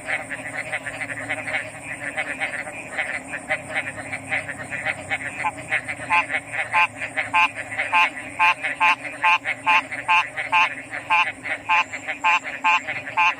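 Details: Frogs calling in a chorus: short clipped notes that grow louder and more regular in the second half, pulsing about twice a second over a steady high-pitched whine and a low hum.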